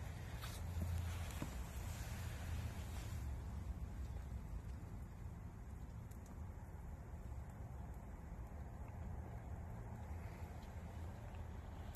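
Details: Steady low rumble of passing vehicles with broadband wind-like hiss, and no animal voice anywhere.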